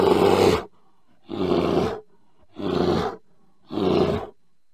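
A bear gives four deep, rough roars, each about half a second long and spaced evenly.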